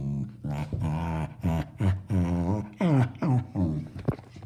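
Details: Pet dog making funny noises indoors: a string of drawn-out, moaning low whines and growly yowls, about eight in four and a half seconds, several bending upward at the end.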